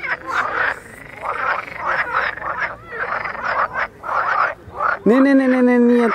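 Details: Mating frogs in Vrijbroek park, Mechelen, give bursts of grating croaks roughly twice a second, with short gaps between the rattling groups; a human voice cuts in over the final second.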